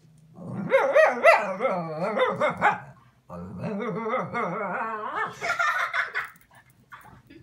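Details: A Boston Terrier yells at a kitten with two long, wavering, yodel-like yowls, its pitch bending up and down like talking.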